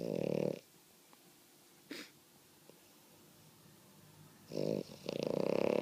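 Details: A female French Bulldog indoors, said not to be asleep, snoring loudly: two harsh, buzzy, rasping bursts, one at the start and one near the end, with a faint snort between and quiet pauses.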